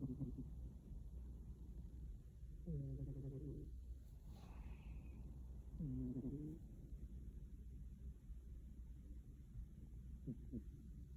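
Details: Ms. Willow, a pet cat, snoring as she sleeps: low, buzzy, rasping breaths with stacked overtones, one about every three to four seconds, the first two loud and the last fainter, over a steady quiet room hum.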